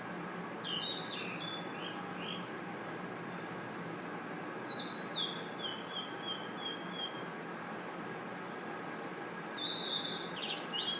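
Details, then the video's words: Crickets in a forest at night: a continuous, very high, steady shrill trill fills the whole recording, with several short sliding bird chirps and twitters overlaid in the first seconds and near the end. "Crickets & Insects Chirping Sounds"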